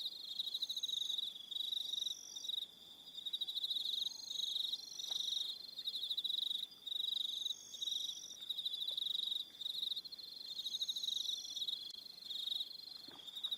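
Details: Crickets calling in the evening on Aroha Island in New Zealand, a continuous shrill trill with rapid pulsed bursts and brief dips, many insects overlapping and thin high whistled tones layered above.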